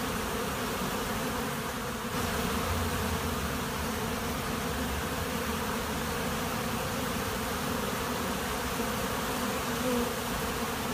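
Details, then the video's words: A honey bee swarm at a monastery apiary fills the air with an unbroken, even buzzing drone of many insects, steady in pitch and volume from start to finish. "Пчелиный рой на монастырской пасеке"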